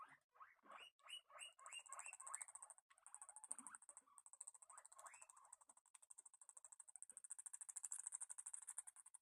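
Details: Pet guinea pigs eating while the mood turns sour, giving a quick series of short rising squeaks about three per second, then fainter squeaks. A steady, very high chattering patter builds through the second half.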